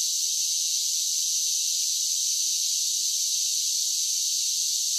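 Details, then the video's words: Cicadas in summer produce an unbroken, high, electric-sounding buzz at constant loudness. No birds, wind or voices intrude. "10 Hours of Cicada Sounds for Relaxation with Soothing Summer Nature Sounds"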